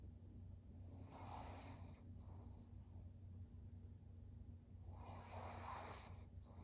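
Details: Thirteen-year-old fawn female pug Maria in Japan, September 2023: two drawn-out, snoring breaths about four seconds apart, each roughly a second long and raspy, against a continuous low electrical hum.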